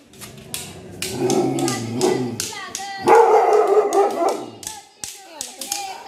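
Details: Angry dog barking in a rapid run of harsh, raspy barks with a growling, harmonic edge, building to its loudest stretch midway, then breaking into scattered shorter yaps.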